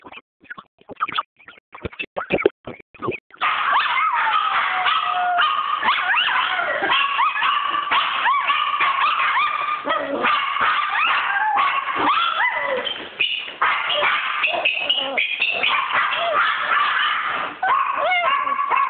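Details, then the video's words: After a run of sharp tapping clicks, Chi Chi the dog breaks into a sustained wavering howl, with warbling, sliding pitch and short yelping breaks over about sixteen seconds. "Chi Chi howling"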